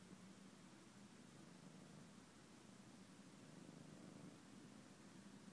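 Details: A cat named Detective, lying on blankets he likes, purrs: a steady, low, rumbling drone that pulses evenly throughout, with no other sounds.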